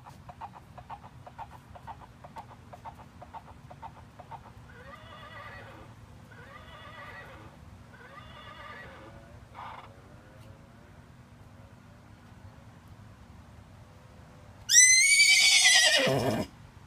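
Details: Playing with a toy, a 15-year-old Miniature Horse stallion. Soft wavering harmonic calls and faint rustling come early. A loud, high neigh near the end climbs and then drops in a quavering slide.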